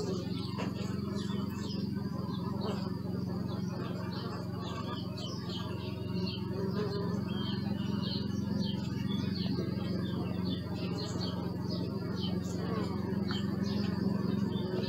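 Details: Bees recorded with a Sony Alpha 6000 camera: a steady, low, many-layered droning hum fills the whole stretch, while small birds chirp and twitter repeatedly at a much higher pitch in the background.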